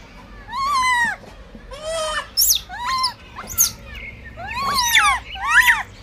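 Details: Baby monkey, blind, competing for food, letting out about seven loud squeals, each an arched, strongly harmonic cry, the later ones shriller and more broken, separated by brief pauses.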